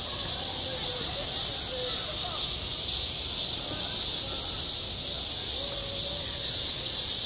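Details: Summer cicada chorus over a school playground. The continuous shrill buzzing wall of sound holds steady, and soft, faint tonal sounds drift beneath it now and then.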